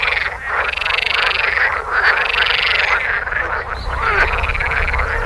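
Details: Male water frogs in sun-warmed ponds of northwest Lower Saxony giving their far-carrying spring courtship concert from early May; loud continuous croaking chorus of many overlapping rattling calls, swelling and dipping, low hum beneath.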